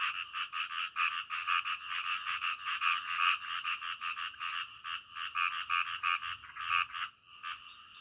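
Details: Night-time frog chorus: quick, rhythmic croaks stacked in bright bands, roughly two to three pulses per second from overlapping frogs, steady and continuous, with a faint low hum beneath.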